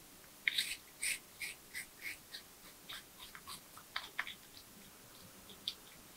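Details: Tree porcupine eating nuts, bananas, sweet potatoes, apples and carrots, recorded close up, with a steady run of crisp, bright crunching bites about twice a second.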